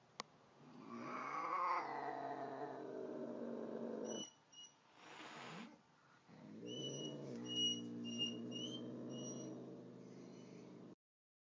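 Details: An angry cat meeting a nice cat gives a rising, wavering yowl, then a sharp breathy hiss, then more low growling yowls. Brief high chirp-like tones sound through the last part.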